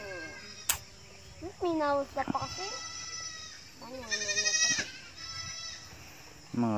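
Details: Goats in a herd that is starting to grow, giving several short wavering bleats of varied pitch across the clip, with background hiss and a few sharp knocks.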